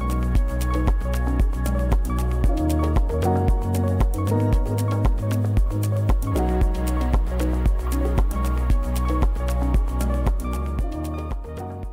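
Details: Loud electronic music with a steady, fast beat and layered synth tones; no animal voices are heard.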